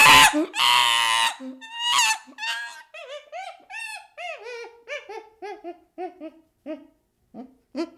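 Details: A baby chimpanzee opens with a harsh, noisy scream and a gruff burst, then settles into a steady series of short, falling whimpers, roughly two per second, fading toward the end.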